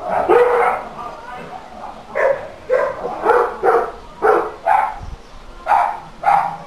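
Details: A nuisance dog recorded for a council noise complaint barks in a rapid run of about ten harsh, overlapping barks, some lower and some higher in pitch.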